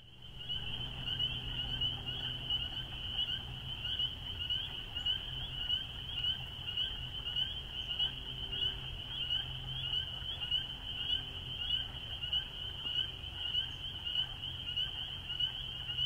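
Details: Spring peepers in full chorus: a dense, unbroken wall of high, shrill peeps from many frogs overlapping, with a fainter higher-pitched trill woven through and a steady low rumble underneath.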